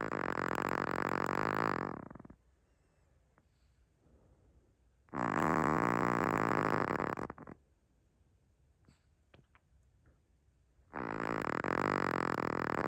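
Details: Naomi the Chihuahua, asleep indoors, snoring very loudly: three long, raspy, throaty snores of about two seconds each, separated by quiet pauses of roughly three seconds with faint breathing.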